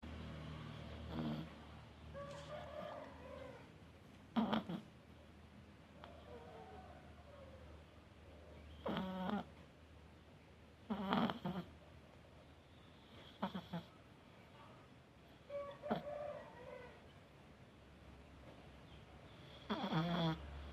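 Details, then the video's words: A sleeping cat snoring: short raspy, buzzy snore bursts come at a steady rhythm roughly every two to two and a half seconds, with quiet breathing hiss between them and no other clear sounds. "kucing ngorok"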